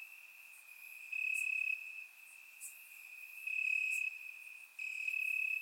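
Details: Grass crickets on a warm summer night in Bulgaria, captured by a surround microphone, keep up an unbroken high-pitched trill that rises in loudness for two stretches of about half a second, with occasional faint sharp clicks.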